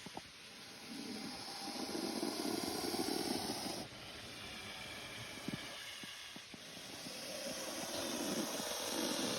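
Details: Spectacled cobra hissing: long breathy bursts of broadband rushing noise lasting a few seconds each, with brief breaks between exhalations, over steady background hiss and a faint high electronic tone.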